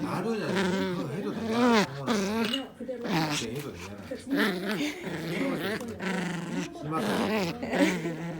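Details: Dog at tug-of-war play, giving continuous wavering growls that swell and dip in pitch, with brief pauses and human speech over the top.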